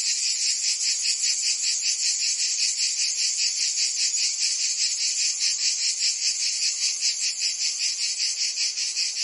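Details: Summer cicada chorus from Provence, southern France, a continuous high rasping drone that swells and fades in fast even pulses, many insects overlapping into one shimmering wall of sound.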